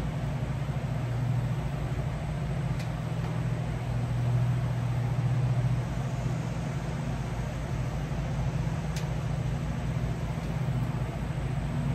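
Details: A continuous low motor hum with a couple of faint ticks and no animal calls.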